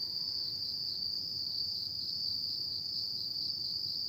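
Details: Autumn insects chirping at night: a steady, unbroken high trill holds one shrill pitch throughout, with only a faint low rumble of background noise beneath.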